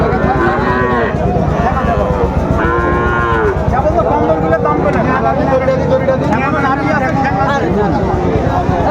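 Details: Sahiwal bull calves at a crowded cattle market in Mymensingh, Bangladesh, on 30 May 2024; several drawn-out, wavering moos rise and fall in turn, overlapping with bargaining voices, crowd chatter and passing vehicles.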